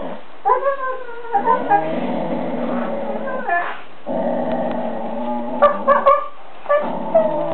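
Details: Pair of playful Siberian Huskies on bean bags vocalizing back and forth: sustained, throaty howl-like moans with rich overtones, broken by brief pauses, with sharp yips and bursts of rising whines near the end.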